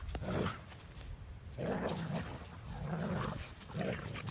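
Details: Kai, a Doberman, and Maddie, a boxer/bulldog cross, play together to burn off energy, giving deep rumbling growls in three or four short surges over a few seconds.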